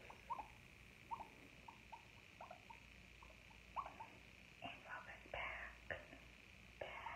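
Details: Guinea pig in a quiet ASMR recording without talking, giving short clipped squeaks at irregular intervals of about half a second, then a few louder, breathier rustling bursts toward the end, over a steady background hum.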